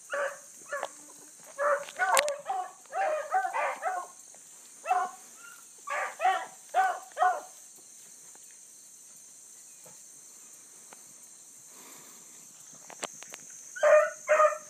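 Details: Blueticks trailing a rabbit that circled a couple of times, early morning, 22 July 2012: bursts of distant bawling barks in irregular clusters, a quiet gap, then closer bays, over a steady insect hiss.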